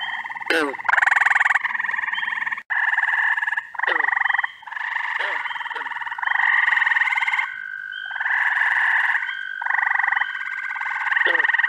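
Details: Frogs calling together in early June in upstate New York, with treefrogs, toads, peepers and green frogs named in the chorus. Rapid pulsed trills start and stop in bursts, a steady sustained trill runs underneath, and brief downward-sliding croaks recur throughout.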